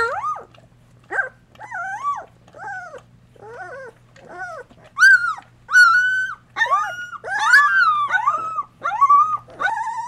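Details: Whelping-box litter of Golden Retriever pups at two weeks of age, mother nursing and cleaning; loud, clear whines bending up and down, several long, piercing squeals in the middle, calls coming about once a second.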